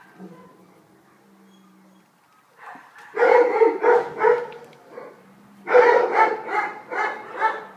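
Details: Stray German Shepherd puppy, female and about five months old, handed in around Weymouth for rehoming. A soft low drone opens, then two bursts of quick, high, yappy barks come in around the midpoint and near the end.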